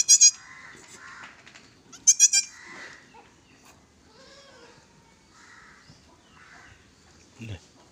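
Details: Goat at a goat farm in Gulbarga, Karnataka: two loud, high, wavering bleats, one at the start and another about two seconds later, with softer calls and murmured voices between them.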